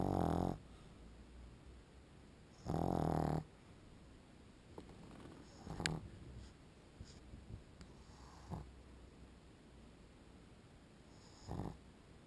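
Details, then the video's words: Pug dog snoring while asleep: two strong rasping snores at the start, about 2.5 seconds apart, then quieter breathing, small clicks and soft rustles, with one faint snore near the end. "Perro Pug Roncando cuando Duerme"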